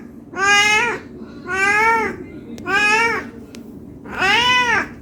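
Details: Hungry domestic cat meowing non-stop, asking for food: four drawn-out harmonic meows, each rising then falling, spaced about a second apart, indoors with a low steady background hum.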